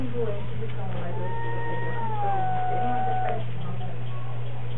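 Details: Two or more cats in a strange fight, one sustained wail gliding slowly down in pitch with a second higher tone above it, voices overlapping, with a constant low hum beneath.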